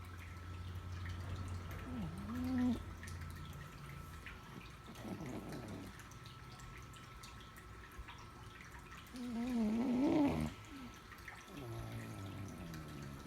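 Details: A sleeping cat snoring, with low rumbling breaths and two louder gurgling, wavering snores around the third and tenth seconds, against a steady faint indoor hum.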